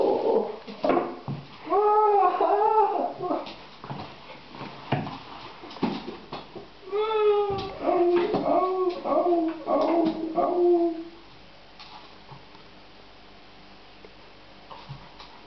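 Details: Shaza, an 11-week-old puppy, during play indoors: a run of tonal, harmonic whimpering howls that rise and bend, in bursts from the second to the eleventh second, with clicks and handling noises, then quiet room tone.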